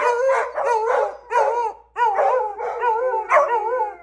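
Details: Several beagles and a Labrador howl together in long, wavering, tuneful notes that rise and fall and overlap.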